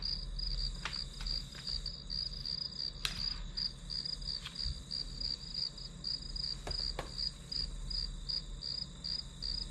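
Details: High, rhythmic chirping of grass insects, about three pulses a second, accompanied by scattered clicks and taps and a faint low hum, recorded as ambient study sound.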